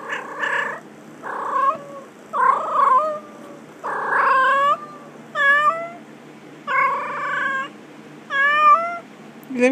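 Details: A pet cat named Trixie meows repeatedly, roughly every second, as a woman talks to her. The meows are bending and rising, some with wavering pitch, and mix with stretches of affectionate speech.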